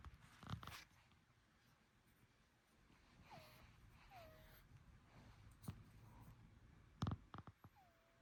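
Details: Pet Bengal cat, possibly ill with congestion or allergy, making three short, faint falling whines that level out at the end, between loud thumps and clatter.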